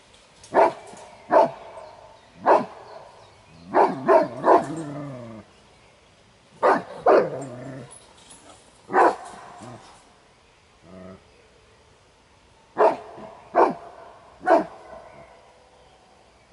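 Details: Kuvasz defending its territory during a breed competition's guarding exercise; deep, sharp barks in uneven clusters, some doubled or tripled, about fourteen in all, with short quiet gaps and faint low background sound.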